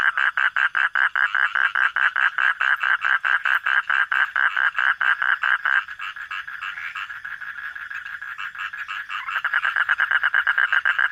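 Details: Frog recorded at night with a brisk run of clipped croaks, over two per second, turning into a softer continuous drone midway before the pulsed croaking returns.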